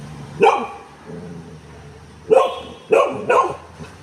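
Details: Pet female Golden Retriever giving three sharp barks, one single and then a close pair, with quiet room sound between them.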